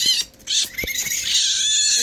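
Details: Hungry baby raccoons, two of them, under a licensed wildlife rehabilitator, being cleaned of banana before a bottle; a short high cry, a pause, then sustained high, wavering, harmonic crying with light handling taps.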